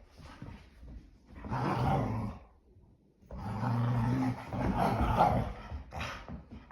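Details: Indoor play on a rainy day from English Springer Spaniels Ember and Cole: two long, low rumbling growls with a short pause between, gruff and throaty, heard in a small room.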